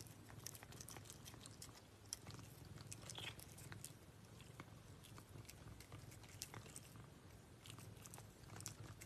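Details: A cat chews its food with rapid crunchy bites and sharp ticking clicks scattered unevenly, backed by a constant low droning hum.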